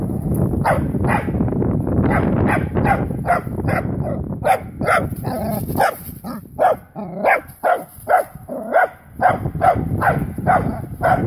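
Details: Wire-haired dachshund bitch meeting a live wild boar for the first time: excited barking, muffled and buried in rustling noise at first, then a clear series of sharp, loud barks about two each second.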